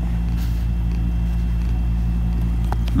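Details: Steady low mechanical hum with a few faint clicks and rustles, no animal voice heard.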